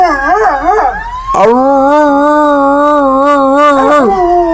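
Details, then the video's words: Dogs howling as people try to get them to imitate sirens; a wavering, warbling howl gives way to a long steady sustained tone held for about three seconds, then another wavering note. "Dogs making noise"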